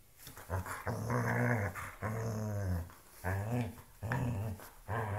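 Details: Dog growling while playing with a shoe: low, rumbling growls rich in layered overtones, coming in about five bouts of under a second each, split by brief pauses for breath.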